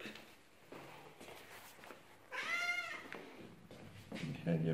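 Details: Domestic cat greeting his owner back home after three days away, indoors; a single clear drawn-out meow with rich harmonics near the middle, between a person's quiet speech before and after.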